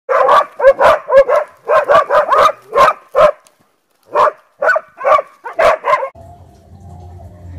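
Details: Dog barking at a wild boar: rapid runs of loud, sharp barks, several per second, a brief pause, then another burst, ending with a low rumbling noise.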